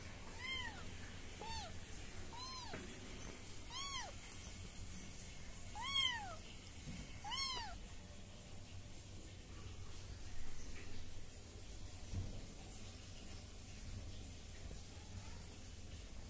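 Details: Baby British Shorthair kittens meowing: six short, high, arched mews spaced about a second apart in the first eight seconds, then only faint room noise for the rest.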